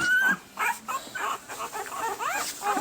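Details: One-week-old Pembroke Welsh Corgi puppies, April 2020 litter, mix a high whine with scattered soft whimpers and squeaky grunts, then a wavering cry near the end; a low background hum throughout.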